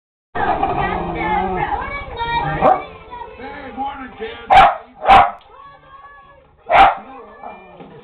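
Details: Lakeland Terrier barking at a TV indoors: about two and a half seconds of TV voices and tones, then three sharp, loud barks, the first two close together and the third after a short pause. Faint background sound continues between them.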